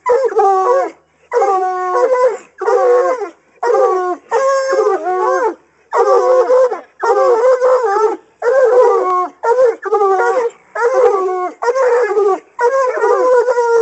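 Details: Coonhounds in hunting training bay at a raccoon held in a cage, giving a steady series of about a dozen wavering, harmonic howls, each roughly a second long with short pauses between.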